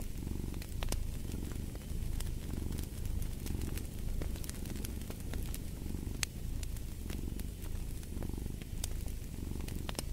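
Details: Low, rhythmic purring of a cat, rising and falling about once per second, with frequent crisp crackles and pops of a fireplace layered on top.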